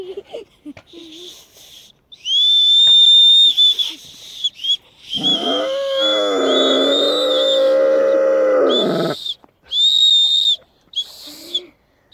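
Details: Caucasian Shepherd Dog joining in with children's whistling; bright high whistles come in bursts, then a long, rich howl swells and stays steady for roughly four seconds, dropping away as short whistles resume.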